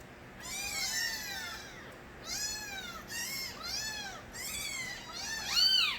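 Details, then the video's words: Nabi's stray kittens in their early days, crying loudly: about five arched, high-pitched mews with short pauses between them, ending with a louder, higher mew in a quiet setting. "새끼고양이들의 우렁찬 울음소리"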